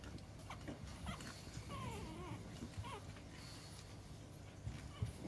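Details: A female pug whimpers in short, wavering whines that slide up and down, with a couple of brief nasal squeaks, over a low household rumble.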